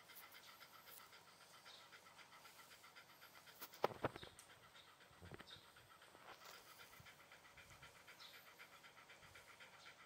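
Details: Shiba Inu panting softly in fast breathy pulses, interrupted around the middle by a couple of sharp clicks or knocks.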